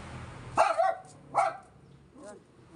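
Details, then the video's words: Yorkshire Terrier, angry and stressed after a gas delivery man came by, giving two sharp, loud barks about a second apart, then a fainter third bark; a person speaks softly in Tagalog before and after. "stress si Yorkie sa nag deliver Ng gas"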